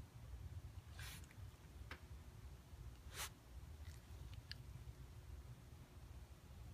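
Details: Koume, a pet Shiba Inu, sneezing indoors at home: two short, breathy, noise-like bursts near one and three seconds, the second louder, with a few faint clicks over a steady low room hum.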